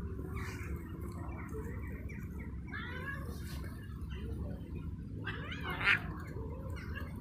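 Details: Cat trying to mate gives faint, wavering harmonic yowls: a brief rising-falling one midway, then a longer, louder caterwaul with a sharp upward sweep near the end, all over a constant low background hum.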